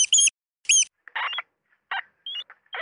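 A rat gives two short, thin, high squeaks, then several harsh, scratchy chittering bursts in quick succession.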